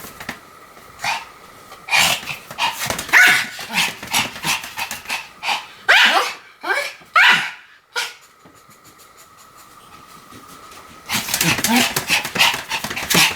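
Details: Pomeranian Sam spinning fast around about 175 times, 1 November 2015; bursts of bright yapping barks with scraping, clattering noises between them, a quiet pause in the middle, then noisy scuffling at the close.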